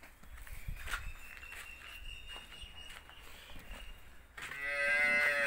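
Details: Hallikar stud bull giving a deep, harmonic-rich bellowing moo that starts abruptly near the end and holds steady, after several seconds of faint background noise with a thin high tone.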